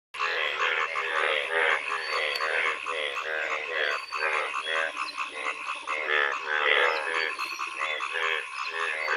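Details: A dense chorus of frogs croaking continuously on a rainy monsoon day in rural Bangladesh, with rapid pulsed, rattling calls overlapping throughout.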